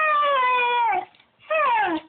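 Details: A spoiled pet beagle whines and cries indoors because she wants to lick her owner's plate. Two drawn-out tonal whines slide downward, the first about a second long, the second shorter after a brief pause.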